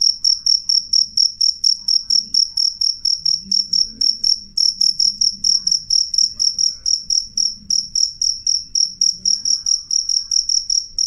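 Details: Loud, clear cricket song of shrill ringing chirps, about two per second in a steady run with a short break near the middle; a soft low murmur sits beneath.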